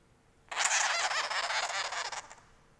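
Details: Baby sugar glider, described as angry, letting out one harsh, buzzy rasping burst lasting close to two seconds, steady and noisy across a wide range with slight pulsing, then stopping abruptly; brief speech comes before it.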